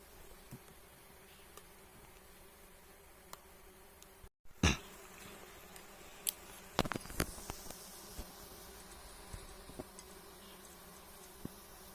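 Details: Giant honey bees droning at wild nests being harvested for honey: continuous low hum with a faint higher overtone, broken by a brief dropout and scattered clicks and taps of equipment.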